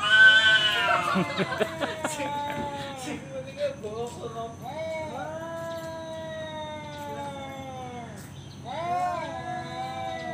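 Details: Male cat calling out a challenge to fight: clattering and a voice at first, then two long wavering yowls that slide downward, the second starting near the end.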